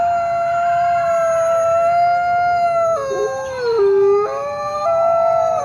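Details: Steady sustained coyote howl that drops in stepwise breaks to a lower pitch, holds briefly, then jumps back up to the original level.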